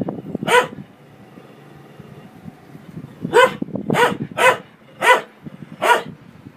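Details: Domestic dog barking at a running washing machine, a single bark followed by a pause of nearly three seconds of low rumbling machine noise, then a burst of five barks in quick, uneven succession.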